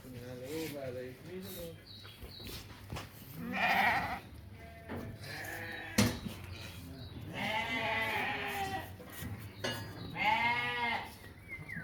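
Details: Sheep at a Qarshi livestock market in Uzbekistan, young animals of about five months among them; repeated quavering bleats from several animals come in bursts across the clip, mixed with men talking and a clatter.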